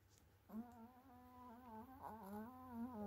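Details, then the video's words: A Chihuahua named Yarik snores through his nose while asleep after playing football, giving a sustained, tonal, whistling drone that wavers slightly in pitch and holds steady for several seconds in a quiet indoor room. "чихуахуа храпит во сне / Chihuahua snores in his sleep"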